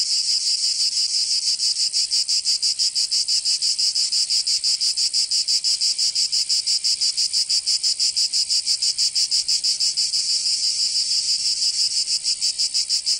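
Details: Cicadas singing in summer in Provence, southern France: a dense, buzzy high-pitched chorus pulsing rapidly and evenly, about three pulses a second, steady throughout with no other sounds.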